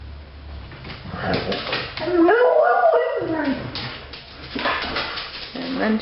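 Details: A pet dog getting excited about another dog outside, giving whimpers and then a drawn-out wavering howl that rises and falls, with a person talking before it.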